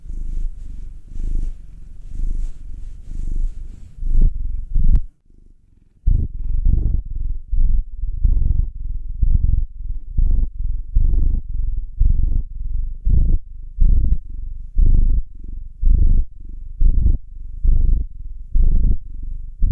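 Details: Contented purring from a house cat being massaged, either the black nine-year-old male or the two-year-old tortoiseshell Munchkin female; deep throbbing pulses roughly every second, a brief silent break near five seconds, then the rumble resumes strongly.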